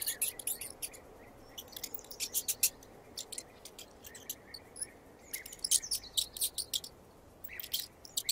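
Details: Squeaking mouse in 8D audio: bright, high chirp-like squeaks arrive in quick clusters, a few longer clear notes among clicky bursts, separated by short pauses over a faint hiss.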